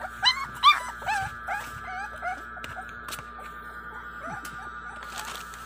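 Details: Whimpering five-week-old American Bully puppies (Warg and Sake) during a feeding frenzy: several loud squealing yelps in the first two seconds, then softer scattered whines over a constant electrical hum.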